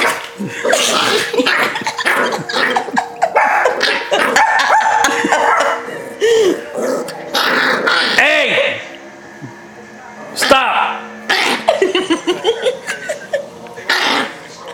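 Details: Pet Yorkie Rocky squirming and complaining while tickled and held; a noisy run of yappy growls and barks, then a short quieter gap before more yips, with laughter alongside.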